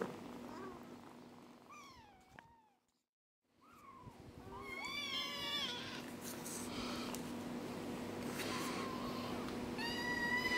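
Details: Young kittens, four weeks old, making a run of short, quick squeaky mews in the first seconds, a brief silent gap, then more rapid chirpy cries and one clear high call near the end, with steady background hum.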